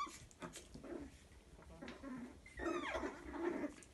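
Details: Playing Chihuahua puppies, a litter of two males and a female, toy size; soft low grumbles give way to a brief whiny yelp and a louder growling tussle in the last second and a half.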